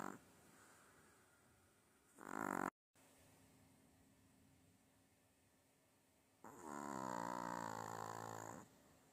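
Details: A dog snoring on its owner: a short loud snort, a brief gap, quiet breathing, then a long rasping snore of about two seconds that swells and fades.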